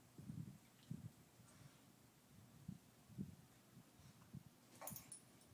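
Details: Playful tussle between Daisy, a two-year-old Pit Bull, and Louie, an eight-year-old Chihuahua: short, deep grumbling growls repeat about twice a second over a soft hiss, ending with a sharp clatter.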